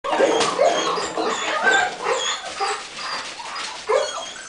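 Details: Golden Retriever puppies running around during exercise, giving short, irregular whimpers and yelps mixed with scuffling, with a faint voice in the background.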